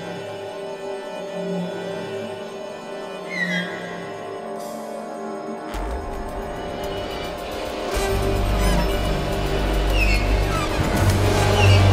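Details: Eerie soundtrack music builds in loudness, with sustained low tones and swelling higher notes, and no animal sound heard.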